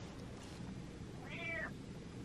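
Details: Domestic cat meowing indoors, wanting to be touched; one short rising-falling meow near the middle, with steady low background hum.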